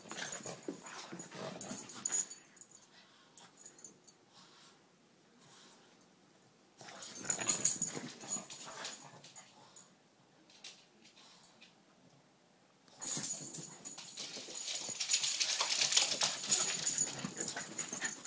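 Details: Boston Terrier/Pug mix named Cocoa getting crazy inside after going out in the rain: raspy wheezing snorts in three long busy stretches separated by quieter pauses, with hissy scuffling throughout.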